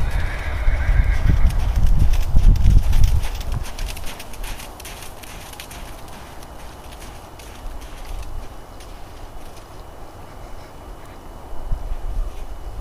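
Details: APHA/Thoroughbred gelding born 2005, ridden at the jog/trot after 10-15 minutes of earlier riding; heavy, rhythmic low thuds of hooves dominate the first four seconds, then softer, quieter steps continue to the end.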